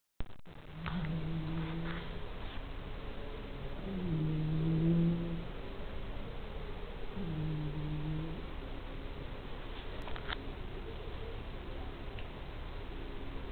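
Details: Domestic cat called La Negra snoring in a human-like way: low, tonal, humming snores about one second long, repeating roughly every three seconds over a steady background hiss.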